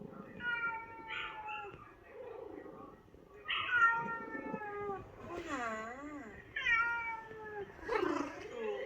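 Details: Ginger house cats in New Zealand hear a played-back recording of a fellow cat's sad meows from a vet visit; a run of loud, drawn-out meows, some wavering and bending down then up, about one every second, with faint voices.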